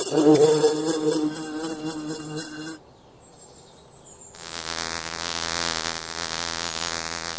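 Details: Buzzing from honey-making bees in a forest. A strong wavering drone breaks off into near silence with one faint high tone, then a smoother, even hum returns and holds steady.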